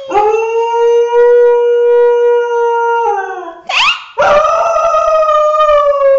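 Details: A 6-year-old female Thai Bangkaew dog gives a long, steady howl that breaks into a rising yelp and resumes.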